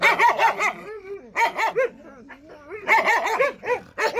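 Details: A Jindo barking in quick clustered runs of yelping barks, followed by a softer stretch of whiny, rising and falling notes, then more rapid barks.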